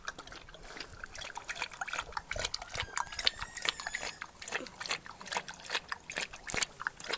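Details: A thirsty female Rottweiler laps water in quick, wet, splashy bursts with small trickling sounds between.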